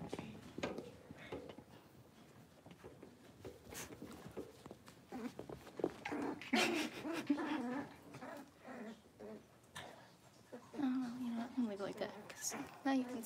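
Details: Indoor puppy pen with a litter of five blenheim Cavalier King Charles Spaniel puppies, six weeks old. Shuffling and faint talk give way to thin, drawn-out whimpers midway, with more wavering whines near the end.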